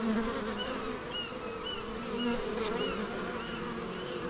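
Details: Bees in the Biblical Gardens of Elgin, Moray, Scotland, making a steady, droning, low buzz with several overlapping hums and brief rises and falls in pitch as individual bees pass close by.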